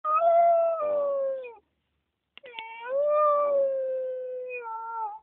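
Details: Puppy howling after missing its mother: two drawn-out, tonal howls, each starting higher and sliding gently downward, separated by a second of silence and a short yelp.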